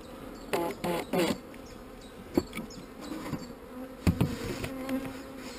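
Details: A honey bee colony drones on as a beekeeper scrapes queen cells from the comb. The low, steady hum sits under repeated knocks and scraping thuds, clustered early and again past four seconds.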